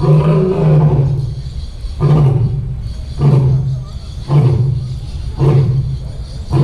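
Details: A zoo lion gives a series of deep, booming grunts, each about a second apart.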